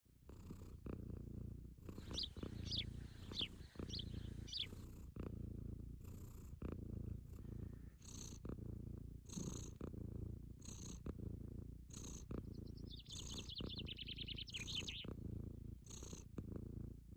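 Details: A Sphynx cat purrs while basking in the warm sun on a hot summer day; a low, rumbling purr pulses in steady breaths about every one to two seconds, with brief high bird trills in the background.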